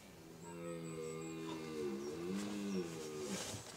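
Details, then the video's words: A red deer stag at Domaine de Han-sur-Lesse bells during the autumn 2025 rut, the breeding season, giving a long, deep, droning rutting roar that swells and dips in pitch. "Le brame du cerf, c'est la période de rut, c'est la période de reproduction du grand cerf élaphe, donc du grand cerf de nos forêts."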